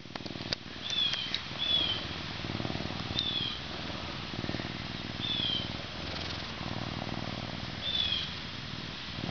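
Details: Captive male Canada lynx, an animal ambassador born at a zoo in May 2011 and weighing 40.5 pounds, gearing up for winter: a continuous, rough, rhythmic purr-like rumble, with brief high whistled chirps appearing four times in the background.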